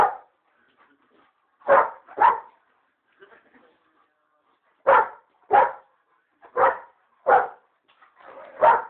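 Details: Pet dog barking while playing: loud, sharp barks in pairs and singles, seven in all, with quiet gaps between, plus faint softer sounds in the pauses.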